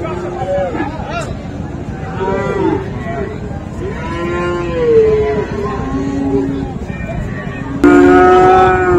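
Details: Cattle, Friesian and crossbred bull calves, low repeatedly at Raniganj market in Dinajpur on 7 November 2024, with several rising-and-falling moos overlapping and a sudden loud bellow near the end, over constant murmur of people.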